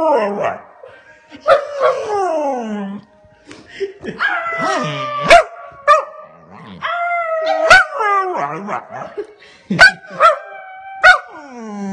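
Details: Male Scottish Terrier attempting a howl, mixing short sliding yelps and yips with longer wavering tonal howls that rise and fall, plus sharp barks near the end; quiet gaps and faint background sounds.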